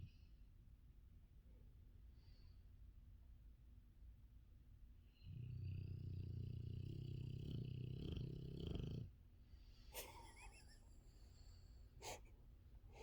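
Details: Sleeping female dog snoring loudly next to someone's ears: one long, deep, rattling snore lasts about four seconds mid-clip, then quiet returns, broken by a few sharp clicks or taps.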